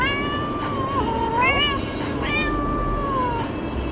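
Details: Domestic cat shut in a cat carrier while being driven to the vet, meowing repeatedly: long, wavering, plaintive meows rising and falling, one after another, over constant low car noise.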